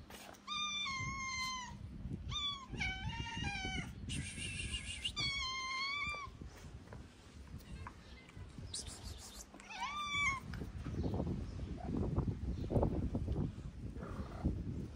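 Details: Hungry, thin calico street cat in Morocco giving loud, drawn-out meows in a quick series, some strained and wavering, then quieter rustling and handling noise over a low background hum.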